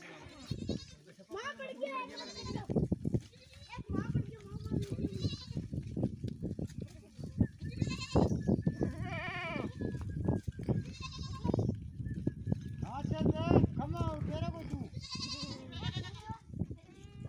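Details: Goats at a canal, one crossing above the water while a kid falls in; quavering, wavering bleats rise repeatedly over continuous loud human speech, with handling noise and bursts of chatter throughout.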